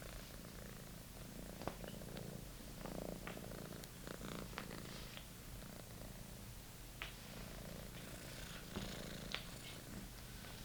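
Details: Monty, a British Shorthair kitten, purrs while tackling his rediscovered favourite toy: an even, low throbbing hum throughout, broken by scattered sharp taps and clicks of play.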